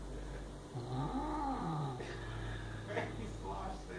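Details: Pet cat indoors growling over a mouse it is guarding: a low, wavering moan swells and fades mid-clip while a person speaks softly over it in a small room.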